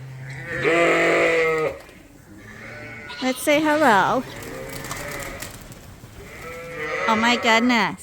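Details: Suffolk lambs in a barn at Ewetopia Farms, groups mixed after an open gate, giving a few wavering bleats separated by quieter stretches, one call sliding downward in pitch, with a faint low hum beneath.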